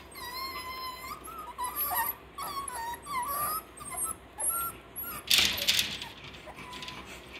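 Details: Whining puppies, Parson Russell Terrier and Russell Terrier litters six weeks old at Blossom Valley Kennel, giving a run of high, wavering whistle-like whimpers and squeaks in quick bursts, with a brief rustling clatter midway.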